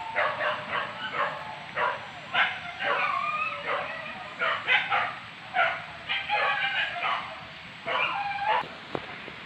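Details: Several hunting dogs chasing wild boar pests at Tarok, Sicincin in Padang Pariaman, Indonesia; nearly continuous rhythmic baying, barks arriving about twice a second in overlapping chorus, with people talking faintly behind.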